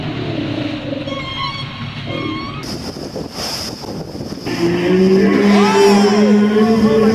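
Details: A whale swimming right underneath the observers while feeding gives a long, low, moaning tonal call that slowly rises, after a stretch of engine-like rumble.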